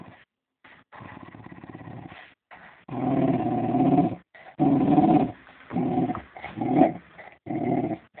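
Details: Playful fox terrier giving a series of throaty growls, rising and falling in bursts about a second long with short gaps, some ending in higher whining tones.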